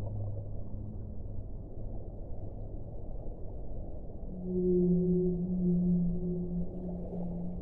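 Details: A low whale drone under steady water noise is followed, midway, by a louder long moan with a wavering higher overtone, held for about three seconds and then fading.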